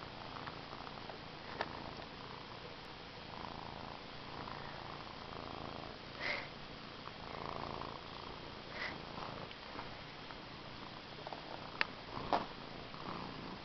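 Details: A domestic cat purrs continuously in a low, even rumble, broken by a few brief clicks and rustles, in a quiet indoor space.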